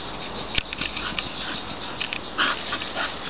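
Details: English Bull Terrier named Ruby, excited and going crazy after hearing a Labrador next door: short breathy whimpering and panting bursts, one sharper yelp near the start, over steady hiss and light handling noise.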